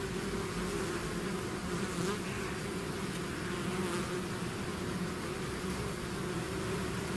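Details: Honeybee swarm pouring out of its hive, a dense steady drone with layered low hums near the fundamental and overtones, continuous and unbroken, individual bees briefly passing closer with slightly brighter whines.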